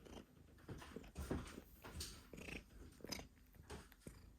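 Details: Domestic cat coughing while purring: a soft, uneven low rumble broken by irregular harsh, breathy bursts roughly once a second, quiet and close in a small room.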